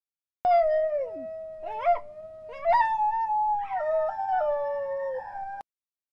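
A dingo gives a long, mournful howl that dips, climbs with a few breaks and yelps, then holds a steady tone for about five seconds.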